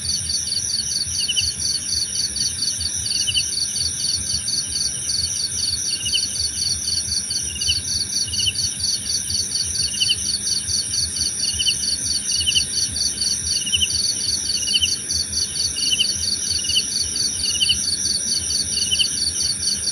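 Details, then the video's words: Night-style cricket chorus for relaxation and sleep: dense rapid high chirping runs continuously while a second, lower caller adds short chirps about every second, all over unbroken shrill insect drones. "Suara Jangkrik Membahana!"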